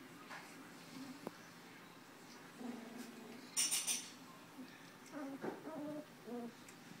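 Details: Two-week-old Tucker x Libby puppies, eyes just opening and barely walking, recorded January 27, 2012: short high whimpers and squeaks in scattered bursts, a brief rustle in the middle, quiet indoor background.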